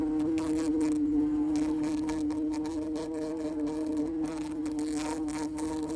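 A bumblebee gives a steady, low droning buzz with a strong even hum throughout.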